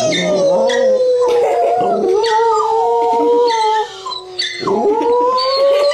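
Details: Dachshund Nana howls indoors while watching Puppy TV beside a second dachshund, Trygg: long, wavering, tonal howls sliding slightly up and down, broken by a short dip near the end before the howling rises again.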